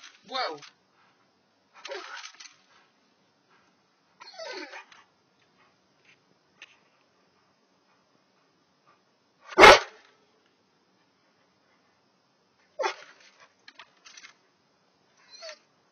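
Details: An excited Rottweiler that has trapped a mouse and wants to play gives brief, falling whines and yips between a person's excited, coaxing words.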